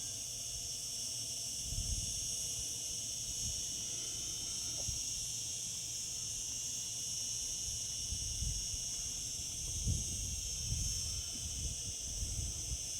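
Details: Shrill, constant buzz of cicadas singing in summer, an even high drone throughout, with occasional low bumps and rumbling noise in the background.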